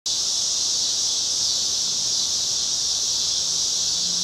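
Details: Summer cicadas chorusing on a Chicago street on a cloudy August evening in 2010: a dense, steady, high-pitched shrill buzz holding without a break, with a faint low hum underneath.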